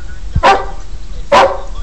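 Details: Border Collie trained to count by barking, giving two short, sharp barks about a second apart on command, followed by quiet praise from its owner.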